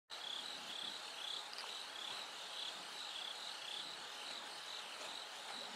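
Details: A bell cricket (Meloimorpha japonica) sings high, clear, bell-like chirps, repeated steadily over a soft background hiss, recorded from night as it gradually grows light.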